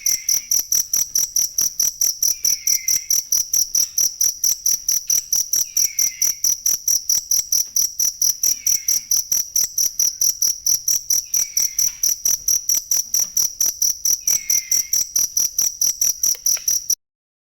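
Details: Continuous cricket chirping used to tutor songbirds, sharp high pulses ticking steadily around two per second, a soft descending whistle recurring at intervals, ending abruptly in silence.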